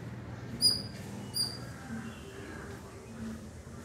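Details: A squirrel gives two piercing, thin squeaks less than a second apart over a low rumble, apparently to ward off predatory birds; the owner suspects it is protecting its young from crows, and it looks ready for combat.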